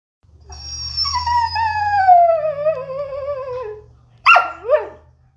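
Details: Pet pitsky, a pitbull and husky mix dog, 'talking': a long, wavering, tonal whine-howl sliding slowly downward for about three seconds, followed by two short, sharp rising-falling yips; faint low hum in the background.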